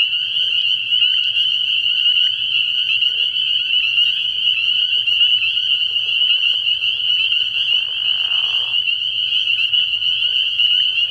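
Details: Early spring night chorus of spring peepers at a frog pond, a steady high ringing of overlapping peeps from many frogs, with a short lower grating burst near eight seconds and faint soft knocks underneath.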